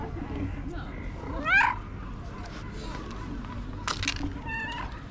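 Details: A stray cat acting like a tiny baby gives a loud, rising, harmonic-rich meow near the start, then a shorter, higher meow a few seconds later, over low background rumble and occasional clicks.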